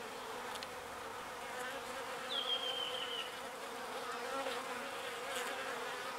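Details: Small bees foraging for pollen and carrying it back to the hive, a steady, dense buzz of many wings humming together, with one brief, thin whistle gliding downward midway through.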